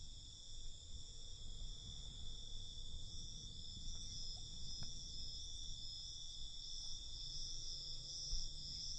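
Crickets chirp at night in a dense, continuous chorus, their high-pitched trilling blending into an unbroken shimmer. A soft, low background rumble runs underneath throughout.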